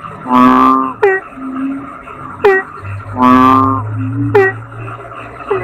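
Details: Two loud, rasping toad croaks about three seconds apart, each followed by quick falling chirps and a softer drawn-out tone. A steady low hum runs underneath.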